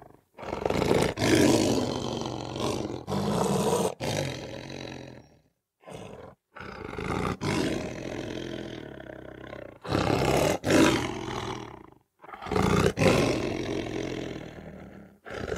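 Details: Lion (Panthera leo), roar.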